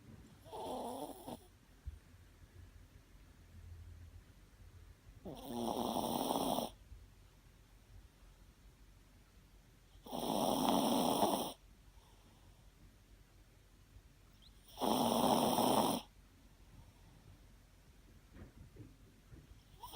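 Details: A Shih Tzu asleep and snoring, with four loud raspy snores spaced roughly every five seconds and a quiet breathing pause between each one.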